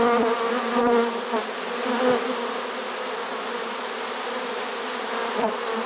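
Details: Late-season honey bee swarm in a trap, recorded September 1, 2019, producing a continuous droning buzz with a low steady band and a few brief clicks or knocks.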